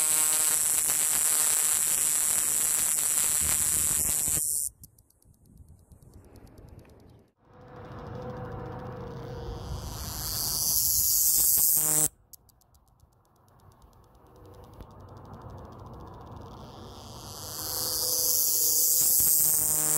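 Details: Male scrub cicada (Diceroprocta cinctifera, identification believed) singing in southern New Mexico: a loud, high, hissing buzz, so intense it distorted the phone mic, that swells gradually and then cuts off sharply.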